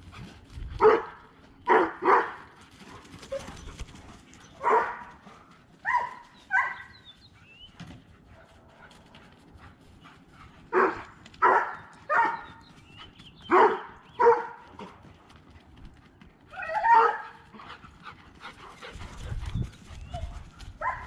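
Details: Dogs at play during a chase between Harvey, a half Siberian Husky, and Kane, a high-content wolf dog: bursts of harmonic, yelping barks come in pairs and short runs across the stretch, with quiet gaps and faint background rustle.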